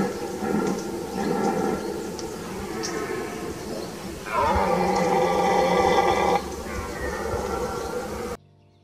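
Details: Red deer (Cervus elaphus), rutting roar: stags roaring during the autumn rut.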